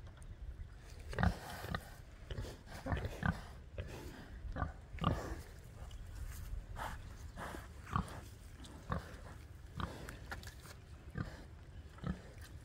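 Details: Farm pigs grunting as if conversing with their keeper: a run of brief, deep grunts at uneven intervals, a few stronger snorts standing out, with faint background voices.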